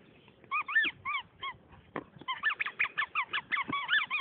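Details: Toby, a pet West Highland White Terrier, gives a run of short high yelping yips, each bending up then down, in two bursts separated by a brief pause, roughly three per second in the second burst.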